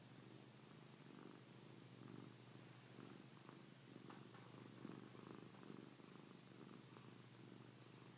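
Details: Pilar, a pet cat, purring continuously; low rhythmic pulsing rumble with regular breathing cycles, soft and even throughout, quiet room background.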